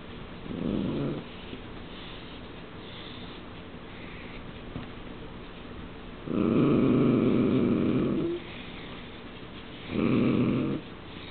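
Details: A male and a female dachshund during courtship: low, rumbling growls in three bursts, the middle one longest, with quiet breathing between.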